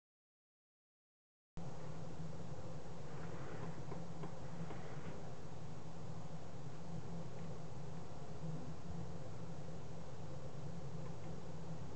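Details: Silence for about a second and a half gives way to a constant low rumbling hiss of steady background noise, with no animal call standing out.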